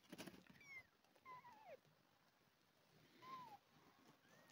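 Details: Two abandoned kittens, found crawling in a garden, fed milk replacement by hand; thin, high kitten meows, three short cries that bend downward in pitch, separated by pauses, with soft handling rustles at the start.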